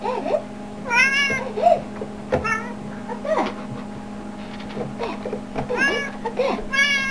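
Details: Household cat, Leanna or Boo, meows several times in a small room while a person talks repeatedly, their voices overlapping, over a steady low hum.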